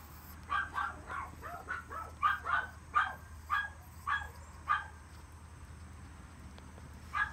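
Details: Male long-coat Chihuahua pup, born 13 April 2018, calls with sharp, high-pitched yaps repeated almost twice a second for about four seconds, then falls quiet before a single final yip; steady low hum behind.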